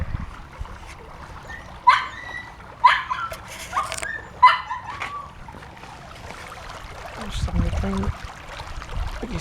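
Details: Young puppies from Honey's litter, newly let out of their pen, sending out a few sharp high yelps spaced about a second apart, then quieter whines, with a low human voice near the end.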